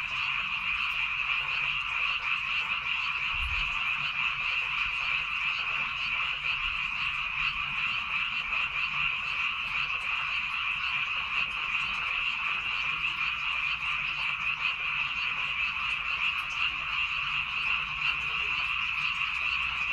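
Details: Rice-field frogs on Baengnyeongdo Island, South Korea, in full chorus: an unbroken, even wall of many overlapping croaking calls throughout, with one brief low thump early on.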